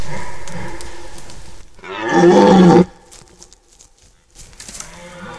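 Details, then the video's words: Red deer stag roaring in a forest during the rut, recorded 10–15 September 2018: a fading roar, then a loud, deep, harmonic bellow lasting under a second, followed by quiet forest sounds. "Ryyykowisko 2018 / Deer rut 2018"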